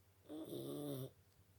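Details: A Boston Terrier gives a single loud snore, a harsh droning rasp with a steady buzzing tone lasting under a second, between quiet breaths.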